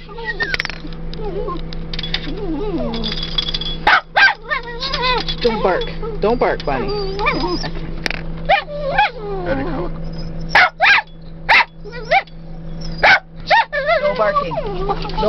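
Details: Rat terriers stopped among prairie dogs in Badlands National Park in April 2008, whining in wavering high tones with scattered sharp barks, over a constant low engine hum and some human voices.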